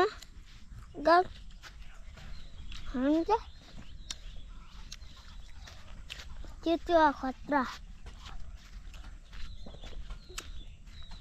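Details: Male goat (boka) in Nepal bleating in scattered, rising, tremulous bursts, one single, one longer, then a quick double and triple run, with outdoor rustling and footsteps between calls.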